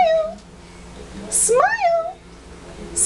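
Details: Shih Tzu complaining about a bath: a single rising-then-falling nasal whine of about half a second, with a brief whine at the very start.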